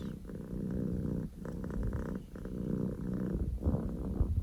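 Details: Male Scottish Fold kitten Poko J purring at full volume, a low vibrating rumble in three or four long phrases split by quick breath breaks, with a little rustling near the end.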